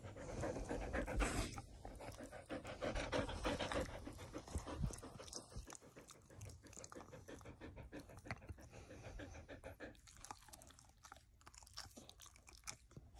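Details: A male Border Collie (Canis lupus familiaris), born November 2017 and about 20 kg, pants rapidly and steadily at about three or four breaths each second during a typical morning routine.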